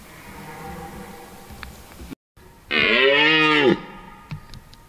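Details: Red deer stag bellowing in a forest during the rut: one drawn-out, strongly harmonic roar of about a second that swells and then drops away, with a faint background hum before it.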